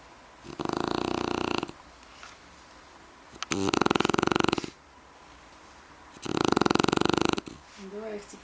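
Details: A sleeping Shar Pei snoring loudly indoors: three long, rasping, buzzy snores of about a second each, spaced roughly every three seconds, with quiet breathing between.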